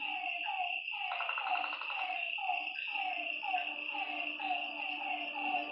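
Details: Night-time frogs at a lakeside trade short falling croaks, with a brief buzzy rattling call near the second mark, over a persistent insect drone and a faint low hum.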